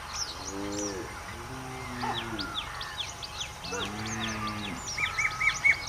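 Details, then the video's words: Cows heading into mountain forest to graze on green grass give three short, deep, harmonic moos about a second apart, under a steady chorus of high, rapid bird chirps and a faint constant hum. "Cow going to forest - Animals in Mountain - grazing and mooing"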